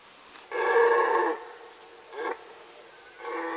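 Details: Red deer roaring during the 2018 rut in the Sandomierz Forest: one long, loud harmonic bellow lasting almost a second, followed by a brief grunt and the start of another drawn-out roar.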